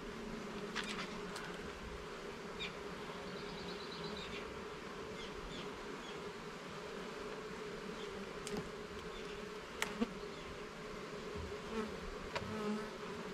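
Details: Honey bees humming inside their garden hive as its levels and frames are inspected; a steady, even drone holds throughout, with brief clicks and knocks from handling the frames and a few faint higher chirps.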